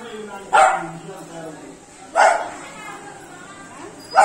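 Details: A three-month-old Beagle puppy, playing with water, gives sharp, high barks about every one and a half seconds; Beagle.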